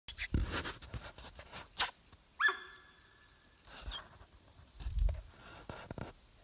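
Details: Young sambar calling after dark near a camp, giving a different honking sound. A single tonal, ringing honk sounds midway, lasting about a second, among thumps and rustling, with a steady high insect hum behind.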